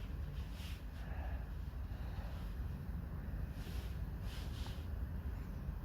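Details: Steady low wind rumble buffeting the microphone, with faint hiss and no animal voice heard.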